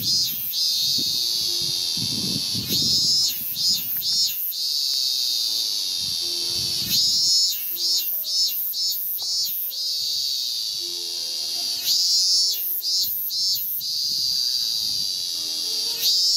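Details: Male ming-ming cicada (Hyalessa maculaticollis) singing loudly on a cherry tree trunk to attract a female, early August 2018, Japan. A steady high shrill drone breaks into rapid pulsed bursts, with a neighbour's piano practice sounding low underneath.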